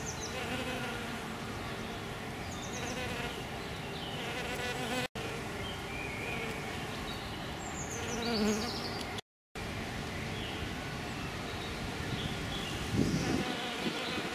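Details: Males and a female hairy-footed flower bee feeding on Green Alkanet, giving a sustained buzzy drone that swells near the end, with scattered bird chirps and a brief silent break.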